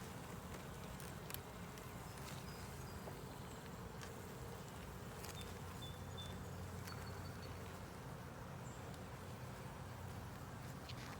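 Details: Honey bee colony in a ten-frame deep box with a honey super, opened for inspection while the bees draw out comb on the frames; a steady low droning hum runs throughout, with scattered light clicks and tapping from handling.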